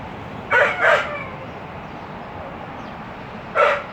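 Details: A dog crying: two quick harsh, strained yelps close together, a pause of about two and a half seconds, then one more cry of the same sort over soft background noise.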